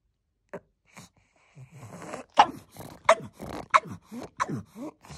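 A pug gives a run of short, gruff, throaty barks and grumbling vocal bursts.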